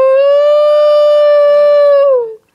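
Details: Pet dog trying to howl indoors: one long, steady, tonal howl with rich harmonics, held evenly for about two seconds before sliding down in pitch and fading out.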